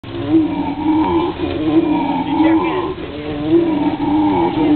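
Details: An excited howler monkey at the National Zoo in Washington, DC, gives a long, droning howl with a steady, moaning tone that rises and falls.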